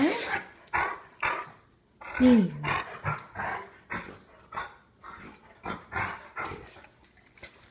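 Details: Ridge, a smiling Rottweiler, breathing in steady rhythmic bursts about twice a second, with a brief high whine near the middle and murmured human voices around.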